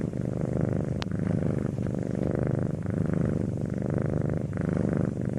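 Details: A cat purrs in a deep, buzzing rumble, breath cycles rising and falling about every second; a faint brief click near the start.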